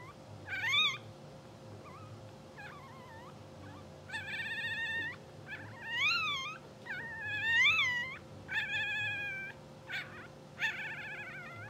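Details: Two-hour-old English Bulldog puppies from a blue sable litter, sleeping, twitching and dreaming on a live puppy cam, give a run of high squeaky squeals that rise and fall, about one every second or so, over a steady electrical hum.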